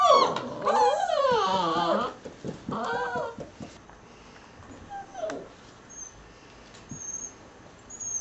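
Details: Ten six-week-old pups of American Staffordshire terrier and Border collie/German shorthaired pointer parentage; high, sliding whines dominate the first two seconds, followed by a couple of shorter wavering whimpers and a quieter stretch of background noise.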